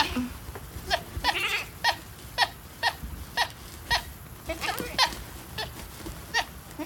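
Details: A female goat chirping: about a dozen brief, clear, high chirps spaced roughly half a second apart, each a quick bright pip, over faint low background rumble.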